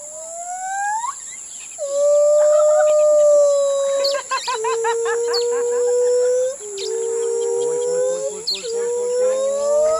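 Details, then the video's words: A captive female gibbon at an elephant village in Khao Lak sings long, pure, hooting notes, the first ones sliding upward before settling into steady tones. "Gibbon Lisa singing"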